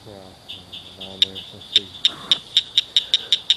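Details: Ditch frogs chirping at night near a culvert. Brief low, buzzy humming tones open the recording, then bright, high clicking chirps repeat roughly every quarter second until the end.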